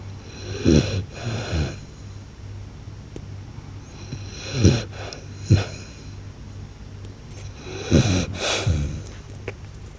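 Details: Loud snoring from a blue French Bulldog, paired rasping snorts with rattling low tones, the pairs coming every three to four seconds, in a small quiet room with a constant low hum.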